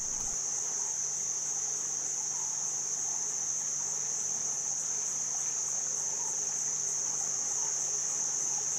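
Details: Cicadas calling loudly from all around a hotel near Chiang Mai, Thailand, in jungle-like surroundings: a steady, shrill, high-pitched drone that never breaks, with a soft rushing of water underneath.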